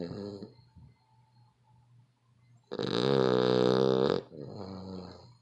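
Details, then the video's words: Billed as the world's loudest snoring dog: one long, loud, rasping snore lasting about one and a half seconds, rich and buzzy with a strong low drone. Quieter breathing noises come before and after it. "The Worlds Loudest Snoring Dog"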